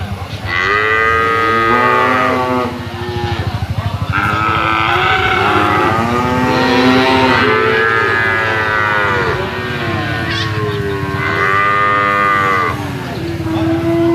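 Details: Jumbo sacrificial cattle in a pen, weighed there: repeated loud, drawn-out moos, several arching calls that rise and fall in pitch, overlapping one another with little pause between them.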